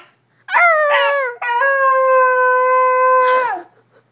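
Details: A single Basenji gives a short warbling yodel followed by a sustained, steady howl-like tone lasting about two seconds before breaking off.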